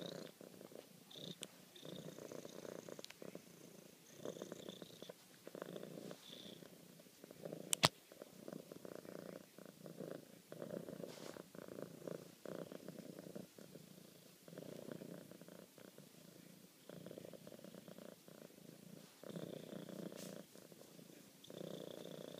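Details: Affectionate female cat purring steadily beside her owner, a continuous low vibrating drone pulsing with her breathing, interrupted once by a sharp click, then a woman speaking tenderly to her.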